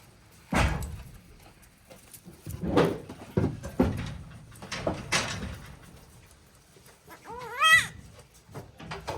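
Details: Day-old baby goat kids at Yoshigake goat farm, a handmade farm in Japan, recorded 17 April 2024; one short, wavering, harmonic bleat near the end follows a series of dull knocks and thumps.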